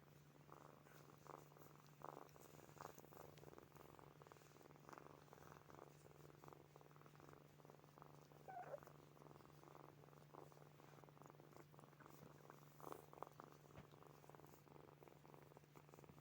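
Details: Sleeping kittens Snowy, Furry and Zoe purring: a deep, constant drone with a soft, rough pulsing texture of breaths running throughout, quiet and even, with small rustles in a calm indoor space.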